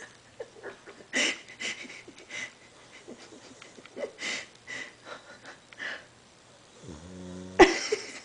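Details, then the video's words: Lola, a dog, snoring in her sleep: rough, breathy snorts recur about every half second, fading and returning, then a brief voiced, tonal rasp near the end. "lola snores"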